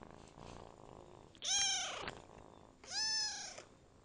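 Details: Adopted kitten ten days into its new home: two clear, high meows about one and a half seconds apart, each slightly falling in pitch, with faint softer sounds before them.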